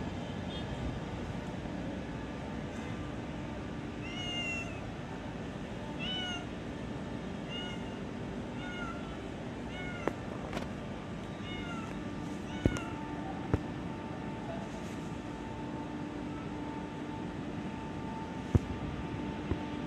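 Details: Unnamed cat in an office giving a run of short, slightly rising meows about every second or two, followed by scattered sharp knocks and clicks over a constant low indoor hum.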